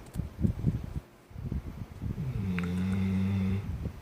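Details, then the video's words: Labrador Retriever named San snoring while asleep indoors after playing hard, rough low rumbling breaths followed by a long steady droning snore near the end. "레부라도리트리버산이 코골이 소리"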